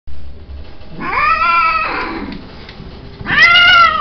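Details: Cat giving a long, drawn-out meow with rich harmonics that rises then slowly falls over about a second, followed by a shorter, bright meow near the end; quiet indoor background.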